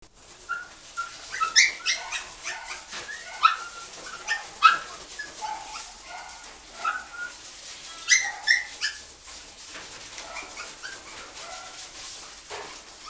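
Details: Shiba dog at a pet shop giving a busy run of short high yips and whining cries, some rising, in uneven bursts, with fainter similar yelps behind.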